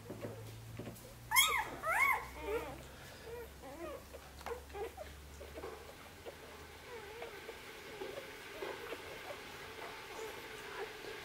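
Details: Korthals Griffon pups, six days old, bustle in Djip's nest: two loud, shrill rising-and-falling whines near the start, then a steady patter of smaller squeaks and whimpers from several pups against quiet indoor background.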